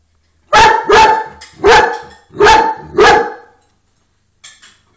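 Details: A large dog reacts to a rabbit seen in the window with five loud, rapid barks in quick succession, followed by silence and one faint, brief extra sound.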